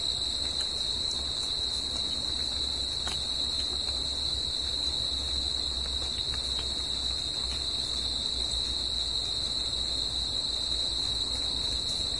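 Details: Crickets singing at night in nature: a dense, unbroken high-pitched trilling chorus holding steady throughout, with a softer shimmer higher up and a low rumble underneath.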